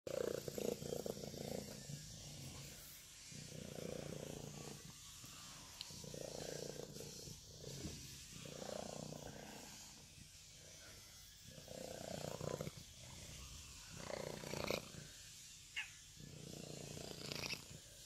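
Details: Female tortoiseshell kitten, nearly black-coated, purring loudly and steadily in slow breath cycles of about two seconds, a low rumbling swell on each inhale and exhale, with brief gaps between breaths.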